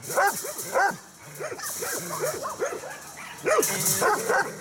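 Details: Agitated Carpathian Shepherd Dog, aggressive and biting a man by the hand: a run of sharp, repeated barks with a few louder bursts, over a steady background hiss.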